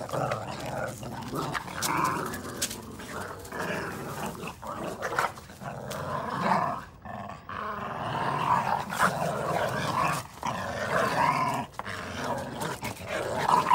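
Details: Playful growling from red Boston Terrier puppies tugging at a chew ring; continuous rough rumbles rising and falling across the clip, briefly dropping near seven seconds, with clicks and scuffling between bouts.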